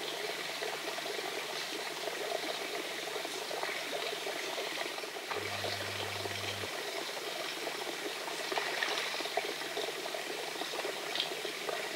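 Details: A steady watery hiss and trickle fills the recording, with no animal voices standing out. A brief low hum appears near the middle, but nothing suggests a fox or cat calling.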